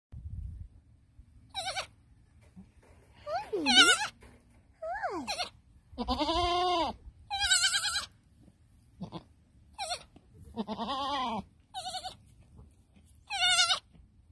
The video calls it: Adorable Baby Goat Making Baby Sounds